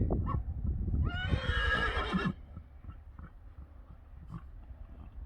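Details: Friesian horse in a pasture gives one loud whinny of about a second, opening with a rising onset and then wavering through rich harmonics before cutting off, followed by soft hoof thuds and quiet rural background.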